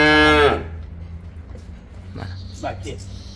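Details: Young Simmental bull on sale utters a short, strong half-second moo, followed by quiet room noise and distant faint voices.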